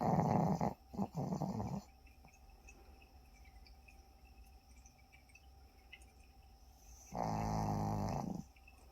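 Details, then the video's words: Sleeping Pomeranian puppy snoring indoors: a rough, low, rasping snore fills the first two seconds in quick pulses, then near-silence, then another long buzzy snore breath near the end. "코고는강아지 Snoring puppy."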